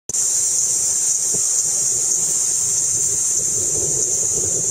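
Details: Kaempfer cicada (Platypleura kaempferi), a cicada that walks around a lot, recorded in 2009, sings a steady, very high-pitched hissing drone without a break.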